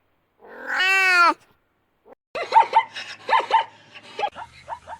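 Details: Kitten giving a single drawn-out meow, a bright, harmonic-rich cry lasting about a second, arching slightly in pitch. Brief silence follows, then a run of short, chirpy, repeated calls from other animals.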